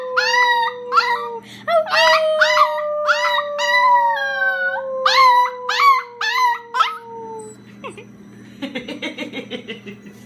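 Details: Female Chihuahua singing in a run of short, rising yelping howls about once a second over a long falling tone, ending in softer whimpering notes.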